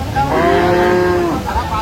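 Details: Dairy cow of an improved milking breed at the Aftabganj cattle market in Dinajpur, on a Tuesday market day, 17/6/25: one drawn-out low moo lasting about a second, steady and then dropping slightly at the end, over a murmuring market background.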